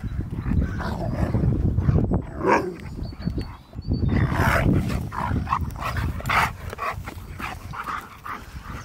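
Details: Siberian Husky reunited with his best friend, reacting to hearing his favourite words: brief, mid-pitched vocal bursts over heavy low rumbling and handling noise.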